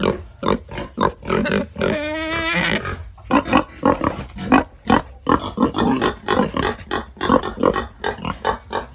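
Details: Pigs at feeding time, dense rapid grunting interrupted by one drawn-out harmonic squeal of about a second, then more quick, clustered grunts and snorts.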